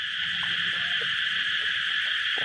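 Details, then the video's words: Thai cicadas in full chorus, heard on all sides while rain has been frequent: a steady, piercing, even buzz filling the whole moment, with only faint soft taps beneath it. "เสียงจักจั่นนี่ร้องดังดีจริงๆนะฮะ"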